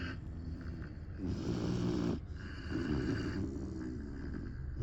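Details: Saigo-don, a Great Dane puppy, sleeps and snores heavily: two long, rattling low snores follow each other closely, then fade into a softer breathing rasp.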